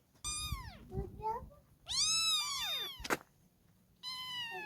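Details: Kittens giving three clear meows, the first sliding downward, the second long and arched, the third steady, with a sharp click just after the middle one.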